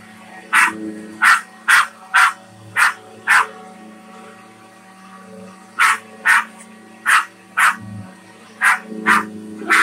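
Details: On May 1, 2021, an excited female Australian Shepherd attacking a vacuum sweeper gives sharp, high yelping barks in quick bursts over the vacuum's steady motor hum.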